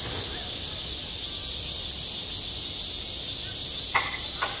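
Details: Cicadas on a school sports field in midsummer fill the air with a steady, high, hissing drone that never lets up.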